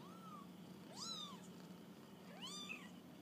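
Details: Kittens on their first walk about; two thin, high arching mews, each rising then falling, with faint hum in the background.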